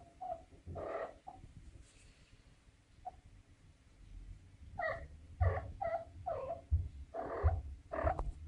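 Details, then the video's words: Young female domestic cat in heat, giving a string of short wailing, nasal cries in quick succession during the second half, after a quieter stretch of low rumbling background noise. "Young Female Cat In Heat SOUND Effect"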